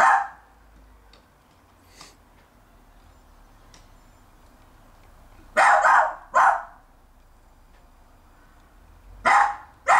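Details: Jack Russell Terrier barking in a garden as it tries every trick to take a bone from another terrier; sparse sharp barks, a pair around the middle and another pair at the end, with quiet gaps between.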